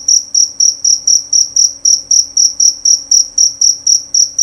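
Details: Loud and clear chirping of a male jangkrik jerabang cricket, with evenly spaced, shrill, ringing pulses about four per second, each with a sharp onset and quick decay, and a faint low background hum.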